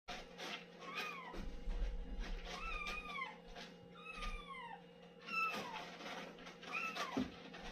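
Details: Domestic cat calling while using the litter box: a run of short, falling, harmonic meows about every second, some rising then dropping, over a steady low indoor hum.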